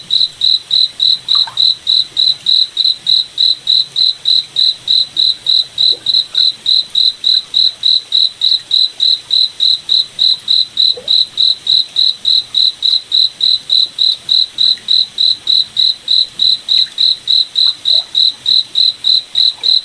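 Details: Cricket at night in a moonlit forest, chirping continuously in a bright, high, metronome-like rhythm of about three and a half pulses per second, with little else audible.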